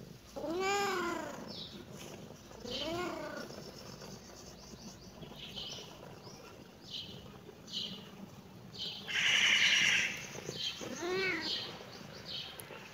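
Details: A kitten reacting to the camera meows repeatedly, three arched, harmonic-rich calls spaced a few seconds apart, with a brief bright chirping sound between the second and third meows.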